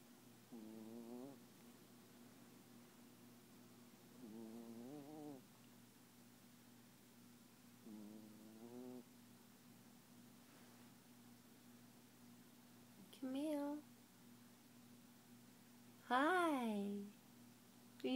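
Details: Dreaming Papillon dog snoring in its sleep, tongue out and eyes open: three soft, wavering nasal snores at regular intervals, then two sharper, louder squeaky whimpers near the end, over a steady low hum.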